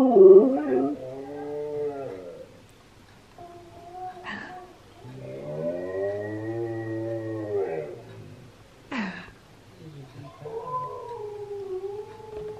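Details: Husky singing, played to another husky that reacts with head tilts: long wavering howl-like tones with rich harmonics that arch up and down, broken by sharp rising yelps, with quiet music underneath.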